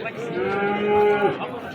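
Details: Bull at the Amudaryo livestock market on 27 April 2025, giving a sustained, even-pitched moo of about one second that ends abruptly, with market bustle in the background.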